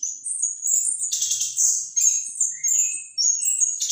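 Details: Orange-headed thrush in continuous, loud, high-pitched song: rapid twittering phrases mixed with thin whistles, broken into short bursts about every half second with no gaps.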